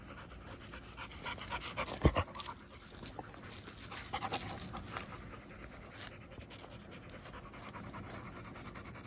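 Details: Golden Retrievers at night, heard as steady, breathy panting in quick, uneven bursts, with one sharp louder click around the middle and a low background hum throughout.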